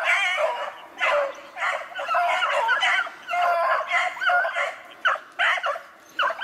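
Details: Several beagles give tongue together chasing snowshoe hare on 2/25/16, their overlapping yelps and bays merging into a dense, continuous chorus with brief gaps.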